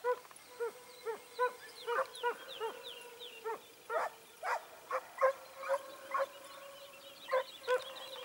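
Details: Segugio Italiano hounds, short-haired and wire-haired, hunting hare at Sofiko, Evros, Greece, on 18 October 2015. They give a steady run of sharp, ringing barks, roughly two per second, over a faint thin high tone outdoors.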